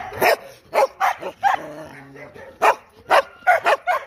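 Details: Dog barking loudly in quick bursts, with a brief low whine between the barks before the barking resumes in rapid clusters.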